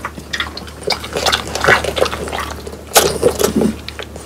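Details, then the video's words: Three French Bulldogs, Pang, Kun and Ppo, crunch on whole quail that was hand-prepared and dried until crisp, bones included; loud irregular crackling bites and chewing bursts, sharpest near the three-second mark, over a low steady hum. "강아지 먹방 ASMR 통메추리를 건조시켜 바삭하게 먹어봤어요"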